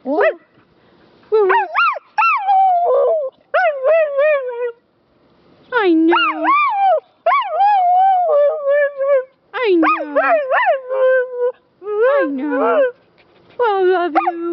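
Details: Rescue dog, a female up for adoption that sings and talks to her carers, delivers long sequences of warbling, sliding howls and yips, each phrase bending up and down in pitch, with brief silences between bursts.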